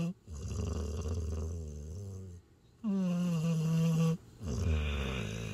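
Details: Steve Ray, a tired border collie–Australian shepherd mix, sleeps in his owner's arms by a campfire under the stars in Kodachrome Basin State Park, Utah, after hiking. Low rumbling exhales alternate with a tonal, buzzy inhaled snore.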